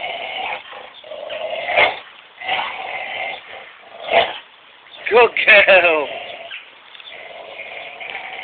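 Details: Missy, a Labrador Collie cross, and Buddy, a Belgian Shepherd, tugging a toy together; a rough, wavering growl runs throughout, broken by louder snarling bursts, while a person calls encouragement partway through.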